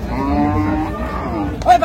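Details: Cow mooing at the Raniganj cattle market in Dinajpur, where improved-breed dairy cows and calves are sold, dated 12/6/25: a low, steady, drawn-out moo lasting over a second amid crowd murmur, followed by a man's voice.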